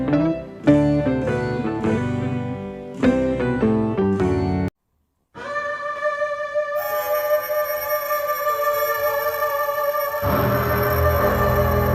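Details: Only instrumental music is heard: plucked guitar chords, then sustained organ-like tones after a brief silence, with no animal voice.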